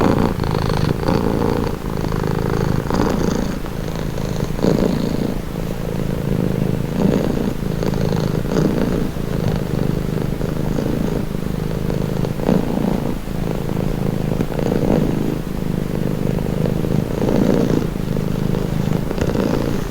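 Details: Long stretch of relaxing cat purring: an unbroken low buzzing rumble rising and falling with each breath, phrases repeating every couple of seconds, faint steady hum underneath.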